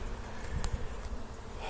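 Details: Swarming honey bees being gathered into a box from a tree branch, calm and friendly; low continuous buzzing hum with brief louder thumps and a couple of short higher whirs from bees close by.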